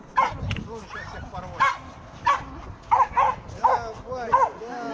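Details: Bull Terrier named Yoka at a night race in Romashkovo, 2019: a run of short, high yelping barks every half second or so, mixed with excited human voices urging the dog on.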